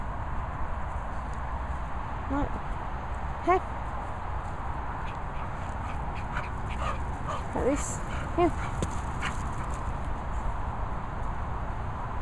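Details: Dogs at play: a Bichon named Peppa wanting an English Bull Terrier named Bailey to chase her. Four short, high, arching whimpers or yelps come singly at scattered moments over a low steady noise floor.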